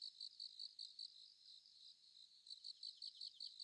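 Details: Sickle-bearing bush-cricket (Phaneroptera falcata) giving its thin click call, described as hard to hear outdoors: a high, faint train of short ticking pulses, repeated in quick regular bursts about every fifth of a second, with a short pause midway.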